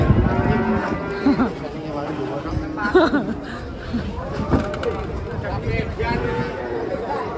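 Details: Several cattle coming down off a truck low repeatedly. Short, hoarse moos overlap with people talking and shouting nearby, and steady mechanical noise runs underneath.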